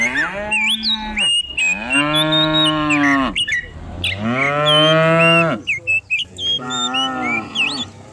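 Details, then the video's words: Herd of dozens of cattle driven down the hill each morning in a quiet village; long, loud moos, about three in a row with short gaps, over frequent high bird whistles. "cow sounds"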